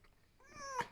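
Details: Female fox rescued from a fur farm and kept as a pet in a house; a short, thin whine that rises in pitch, then ends abruptly with a faint indoor noise.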